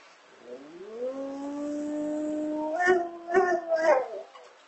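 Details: Sleeping female Rottweiler howling like an emergency siren: a long smooth tone rising slowly and holding steady for about two seconds, then breaking into three short wavering bursts near the end.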